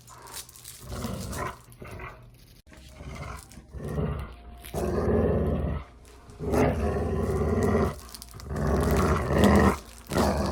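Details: Playful dog growls: a series of about five gravelly, rumbling bursts of uneven length, the later ones longer and louder, spaced by brief quiet gaps.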